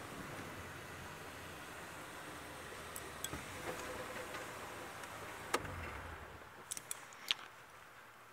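Steady low background noise with a few sharp clicks and ticks, and no animal voice.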